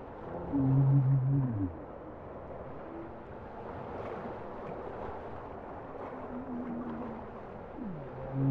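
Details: Bowhead whale singing underwater: a loud, rich, buzzy low moan layered with harmonics in the opening seconds, then quieter wavering tones and a brief dipping sweep near the end over a steady watery rumble.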